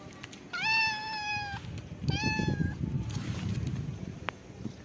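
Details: Homeless cat with beautiful eyes enjoying a head massage gives two clear, drawn-out meows, the first about a second long and steady, the second shorter and slightly falling, over low rumbling handling noise.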